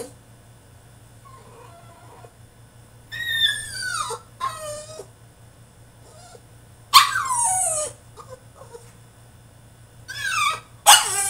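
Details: French Bulldog, a male, having a tantrum while shut in his cage, gives loud bursts of high, downward-sliding whines and yelps. The bursts come every few seconds between quieter stretches, with a faint electrical hum underneath.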